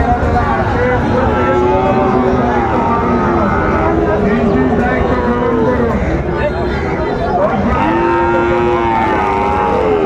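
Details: Several rising and falling lowing calls from Sahiwal cattle at a busy Chattogram market in Bangladesh, January 2025, one long moo near the start and another toward the end, over steady human voices and traffic rumble.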